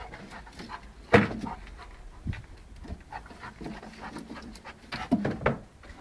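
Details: Big dog and a small puppy playing together, with breathy panting, scuffling bursts and one sharp loud burst near the start, plus soft rustling throughout.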